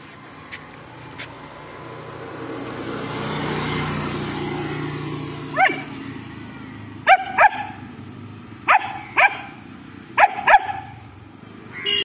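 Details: A car rumbles past first, then a long-coated German Shepherd, reacting to a stray dog it wants to fight, lets out quick pairs of loud, sharp barks repeated every second or so.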